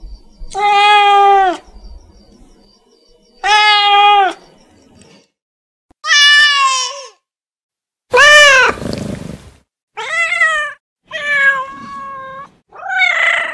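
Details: House cat calling to its owner with repeated meows: about seven calls, early ones long, steady and evenly spaced, later ones shorter, higher and arched, with a brief rough breathy note after one call.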